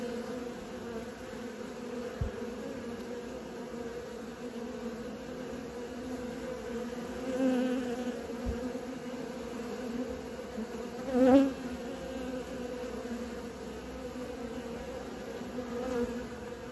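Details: Dense humming drone of honey bees learning to fly, steady throughout, with a single bee passing close for a sharp louder buzz near the eleventh second and a softer swell earlier.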